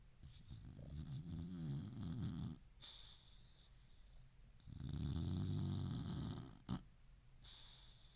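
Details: Senior boxer Ruby snores in deep, dreaming sleep: long, low, rattling snores lasting about two seconds each, with quieter breathing gaps between them and a faint click indoors.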